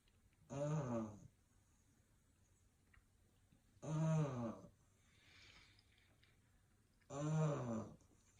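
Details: English Bulldog puppy asleep and snoring: three low, rumbling, throaty snores spaced about three seconds apart, each lasting under a second, with a soft breathy exhale between the second and third.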